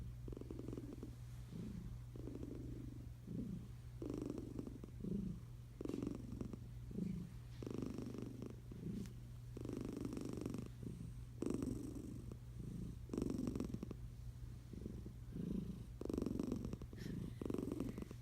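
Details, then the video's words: Tiger cat named Eliza asleep beneath a blanket, snoring in a steady rhythm of low, fluttering rasps roughly every second, alternating inhale and exhale, with a constant low hum behind. "Eliza the tiger cat sleeping and snoring under a blanket snores snore"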